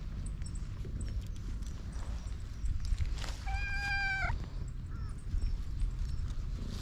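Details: On a cat island a hungry stray cat gives one long, level, tonal meow lasting about a second, with a faint shorter mew after it, against constant low-pitched outdoor rumble; recorded with a GoPro.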